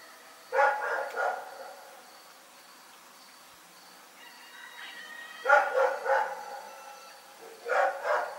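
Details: Rex, a dog, barking at night: harmonic barks in short bursts of two or three, heard near the start, the middle and the end, with quiet gaps and a faint high steady tone in between.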